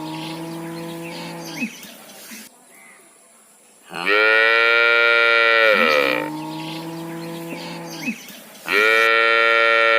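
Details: Cow calling her calf with loud moos, shifting between high, rough bellows and lower, smooth sustained lows, each lasting around two seconds with short pauses between.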